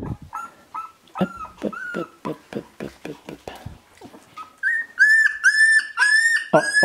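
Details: Sixteen-day-old Shiba Inu puppies from the Ichi Hime litter, born 25 February 2017 and recorded 13 March 2017, crying with repeated high squealing whimpers. The squeals start short and rise into longer, louder, sustained whines near the end.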